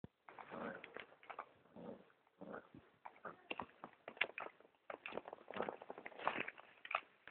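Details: Pomeranian during mating, making rough, raspy growling and snorting bursts in an irregular run of short grunts and breaths, fairly close and with no other clear sounds.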